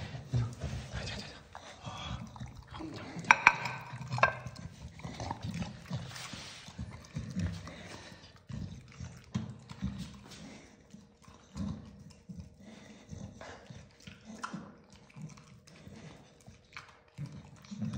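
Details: A happy Staffordshire Bull Terrier makes low, rumbling vocal bursts over a dinner of lots of meat while a person talks nearby.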